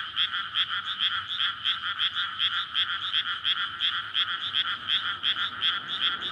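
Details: Dense night chorus of courting frogs in a flooded rice paddy in May before rice planting, surrounded by housing, recorded on a linear PCM recorder: overlapping pulsed croaks about 2.5 per second, layered rattling bands, steady and loud.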